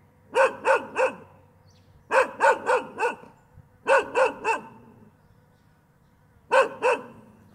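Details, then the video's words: Dog letting out bursts of three quick, punchy barks, then a final pair after a longer gap; a low hum runs quietly underneath. "ÂM THANH CHO SỦA"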